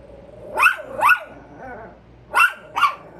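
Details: Alert Chihuahuas barking at a squirrel: two quick pairs of sharp, high-pitched barks with rising-falling tone, separated by a short quiet gap.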